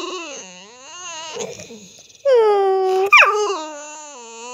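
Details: A Staffordshire Bull Terrier producing funny noises: a quiet wavering moan that dips and rises, then a loud steady whine of nearly a second ending in a sharp upward yelp and a trailing wail.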